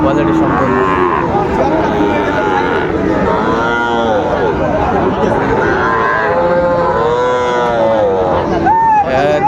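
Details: Sahiwal bull calves at the Raniganj cattle market in Dinajpur, 16 May 2024. Drawn-out, wavering moos rise over a steady din of crowd chatter and voices, with one sharper call near the end.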